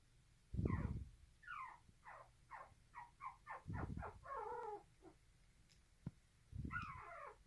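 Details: Poodle puppy nursing aggressively: a rapid run of high, thin squeals and whines, mostly falling in pitch and repeated several times a second, with a few brief warbling cries, broken by three low, dull thumps.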